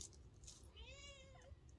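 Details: Wild cat, fed and trained by a person over almost three years, gives a clear drawn-out meow rising then falling, with a woman's encouraging voice nearby and low background hum.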